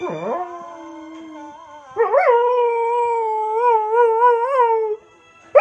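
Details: A Border Collie howls along to the song Unchained Melody in long, tuneful notes that waver up and down with a steady vibrato.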